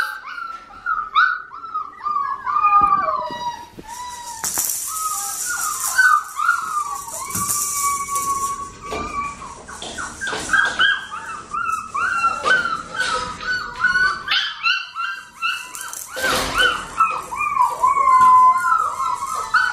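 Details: A litter of Australian Shepherd puppies crying nonstop: rapid, high, wavering whimpers and squeaks layered over each other, with bursts of hissy rustling and knocking now and then.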